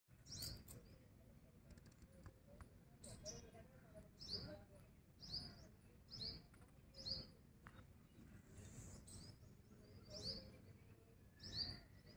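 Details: Squirrel calling with short, sharp, high chirps repeated roughly every second in a steady series, over a constant low background rumble.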